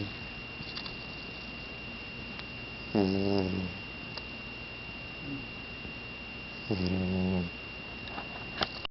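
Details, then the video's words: A sleeping yellow Labrador puppy, 11 weeks old and in training as a future guide dog, rests on a lap. Two low, buzzing snores come about four seconds apart, with a quiet steady background hum between them. "Snoring future Leader Dog"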